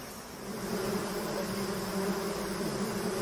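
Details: Swarm of bees dispersing from a honey-filled hive as a leaf is waved over them; a rich, steady low hum swelling slightly in loudness over a few seconds.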